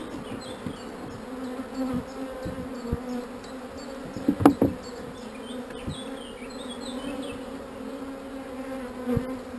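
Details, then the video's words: Honey bees, calm rather than angry, drone continuously while a beekeeper puts a queen cell into a frame and scrapes off wax. The low, even hum runs throughout, punctuated by clicks and a burst of tapping in the middle. "not so angry bees"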